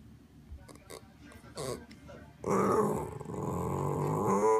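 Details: Boomer, a pet dog impatient for his food, first gives a few soft short snorts and sniffs, then breaks into a loud, sustained, wavering yowl lasting about two seconds in a small indoor room.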